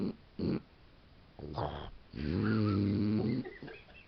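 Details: Mini Boxer female asleep and dreaming indoors, filmed on a digital camera: brief snuffling breaths, then a drawn-out, rough, low harmonic snore lasting about a second, followed by quieter sniffing.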